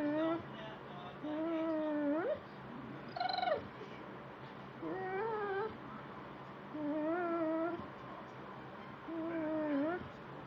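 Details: Beagle reacting while watching an animal programme on TV: five drawn-out, wavering howls roughly every two seconds, most ending in a sharp upward slide, over a steady background hum.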